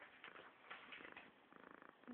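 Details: Pet cat purring, picked up on a phone: a brief, soft, pulsing rumble with quick regular throbs toward the end and a faint click at the close.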